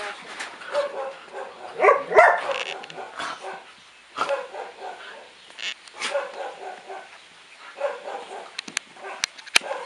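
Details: Two pet dogs playing together, giving short harmonic barks and yips in uneven bursts, loudest around two seconds in, with growly tones between and scuffling, clicking movement noises throughout.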